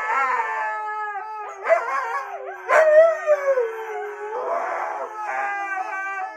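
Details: Husky giving a sustained, steady howl held at an even pitch, broken by short rising and falling wavers and a louder swell partway through before settling back into a long tone.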